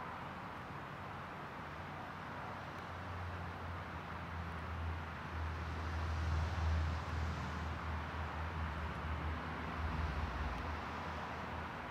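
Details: Steady low rumble of passing traffic and engine noise fills the recording, with no clear animal voice.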